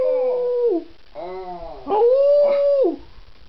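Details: Pet miniature schnauzer singing its heart out for an audience: a held howl falling off at the end, a short wavering yodel-like note, then another steady sustained howl that drops away sharply.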